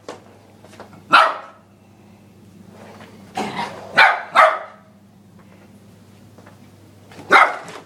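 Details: Young Lhasa Apso x Maltese cross, about ten months old, barks at a vacuum cleaner being pushed; single bark, then a quick cluster of three, then one more, all over the droning motor of the vacuum.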